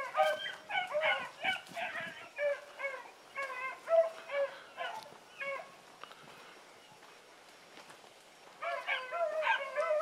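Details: Dogs in training, Sassy and Magnum with Ringo and Boone: fast bursts of short yipping howls, many per second at first, a near-quiet pause midway, then the excited chorus resumes.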